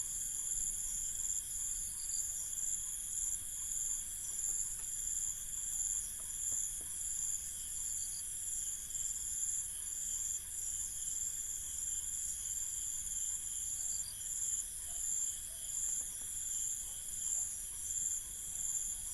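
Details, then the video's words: Night in an Indian village with a cricket chorus: unbroken high-pitched trilling holds steady in stacked bands throughout, with slight flickers in the top layer and faint low background noise from the countryside. "INDIAN Village Night Ambience 002 | Crickets"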